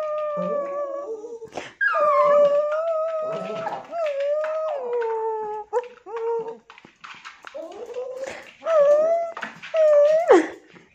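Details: A Tibetan Terrier produces long, bending howl-like whines, some wavering up and down, broken by short yips and rustling, ending with sharp rising squeals.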